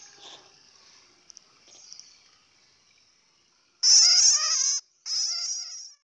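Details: Bat giving faint, soft chittering and a few tiny clicks, then after a quiet pause two loud, shrill, wavering squeals in quick succession near the end; no other sounds intrude.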